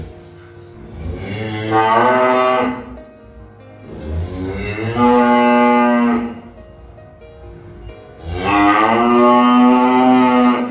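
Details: Three loud bellowing moos from a cow, each roughly two seconds long with a strong buzzy harmonic stack, the last one held steadiest, with a low background hum between calls.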